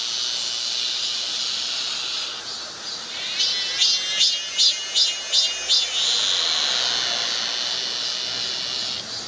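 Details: Midsummer cicada chorus from Galsan in Gocheok-dong, Seoul: continuous shrill, bright buzzing with a run of about seven rhythmic pulsing surges in the middle before the steady drone resumes.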